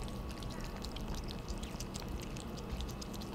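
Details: Two cats, Theo and Thea, noisily eating their dinner indoors: a dense run of quick wet lapping and smacking clicks, steady and unbroken for the whole few seconds, with a low background hum.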